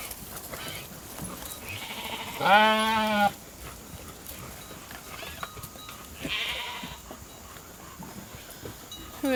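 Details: Hungry sheep from the Nature Lane Fiber flock, run into the holding pen for their evening grain: one loud, wavering, strongly harmonic bleat lasting under a second, followed later by a softer breathy rustle against quiet farmyard clatter.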